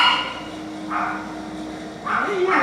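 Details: Dog giving two separate barks about a second apart, each short and rough, over a faint continuous hum and murmuring background.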